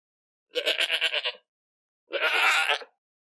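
An Angora goat gives two nasal bleats, the first quavering and broken, the second steadier.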